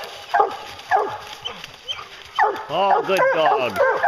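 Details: Hunting hounds on a bear hunt, bawling a few times and then breaking into a run of drawn-out, wavering bays toward the end, with men's voices praising the dogs nearby.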